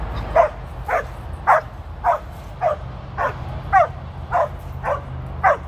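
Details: Female Border Collie named Tir on her 13th birthday, working sheep with a trainer in Long Beach, California; a steady run of ten sharp barks, roughly one every half second, over low rumbling background noise.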